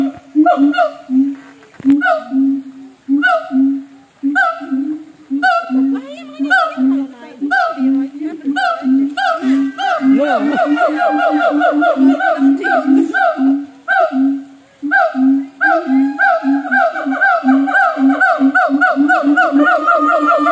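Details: A siamang at a zoo in North Lombok gives loud, booming hoots that climb into rapid, wavering whoops, repeated about once a second.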